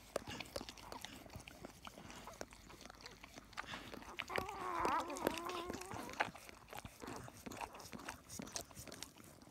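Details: Labrador Retriever puppies just delivered, a litter of four females and two males: a thin, wavering harmonic squeal lasting about two seconds rises out of steady rustling and handling noise near the middle.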